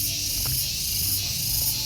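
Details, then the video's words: Insistent, unbroken shrill whine of cicadas outside Mercusuar Cafe & Resto, Dago Pakar, Bandung, strong and even throughout, with faint low background hum underneath. "Amazing banget, begitu keluar mobil langsung disergap suara tonggeret yang dirindukan lah."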